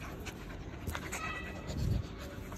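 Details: Husky puppies play-fighting: a brief high, slightly wavering whine with faint overtones midway, surrounded by soft scuffles and thumps over a steady low background rumble.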